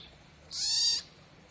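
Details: A baby stone marten in captivity gives a single high, thin squeal lasting about half a second.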